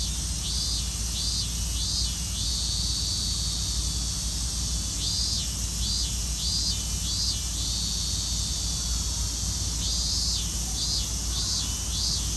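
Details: Robust cicada singing in Hibiya Park on 20 August 2019: bursts of pulsed, rhythmic buzzing notes repeated in groups, separated by pauses, over a steady high-pitched insect drone and low background rumble.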